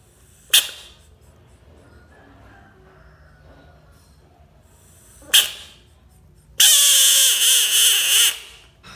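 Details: American bullfrog screaming: a single loud, harsh, broadband scream lasting nearly two seconds, wavering slightly in strength before cutting off, preceded by two short sharp knocks spaced about five seconds apart in an otherwise quiet setting.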